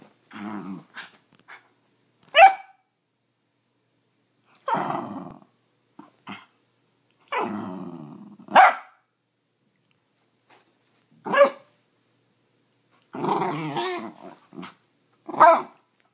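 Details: Ryder, a hungry dachshund demanding breakfast, lets out irregular bursts of short barks mixed with grumbling, whiny growls, roughly ten outbursts across sixteen seconds separated by quiet pauses.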